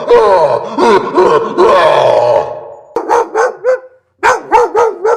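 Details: Dog barking: a run of loud, rough barks blurring into one another, then after a short pause a group of quick, sharp yips repeated several times a second.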